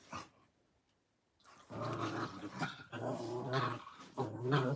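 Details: Playing puppies give one brief sound, fall quiet for over a second, then break into a continuous low, rumbling play growl with pulsing surges to the end.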